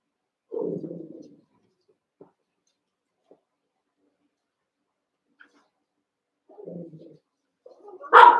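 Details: Young Cavalier King Charles Spaniel puppies at play in a shared pen: low rough play-growls, a pause, another short growling burst, then one loud sudden bark at the end.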